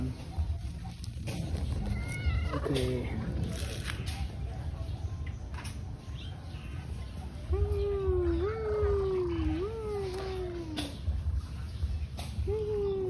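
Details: Tei Tei, a cat visited at a pagoda, meows repeatedly in a wavering, drawn-out series of rising and falling cries, with a few higher short mews earlier and low background murmur of voices.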